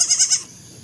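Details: Baby goat giving a brief tremulous bleat, three quick pulses of wavering high pitch lasting under half a second, then quiet.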